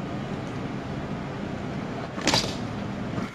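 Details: A steady low engine rumble runs throughout, broken by a brief, sharp burst of broadband noise shortly before the end.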